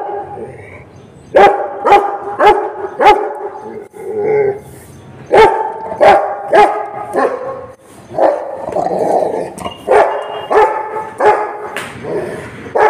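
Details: An angry Rottweiler barks at street dogs, deep loud bursts of several barks separated by short pauses.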